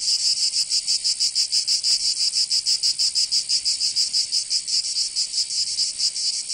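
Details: Summer cicada chorus in Provence, southern France, a shrill buzzing band pulsed in quick rhythmic throbs, a little uneven, with nothing else audible.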